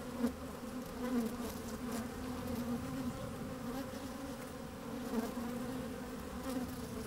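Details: Honey bees busy at work inside an opened hive on a fine, sunny day, microphone slid down among them: a steady layered hum with bright bands near the low-mid range, softly wavering, with brief louder swells of buzzing.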